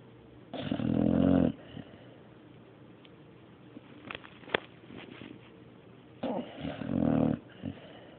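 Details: Mario the dog sleeping and snoring: a loud, gravelly snore opens, followed by soft clicks and small mouth noises, then a second rumbling, fluttering snore roughly six seconds later.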